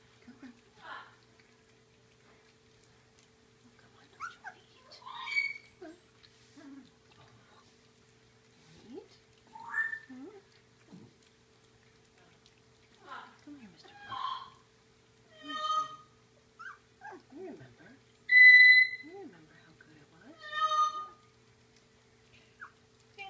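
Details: Labradoodle puppies from Seaspray Quinn's litter at feeding time, hungry and waiting for gruel: scattered high whines and squeaks with a few clear, drawn-out yelps, interleaved with quiet talk and soft indoor noises.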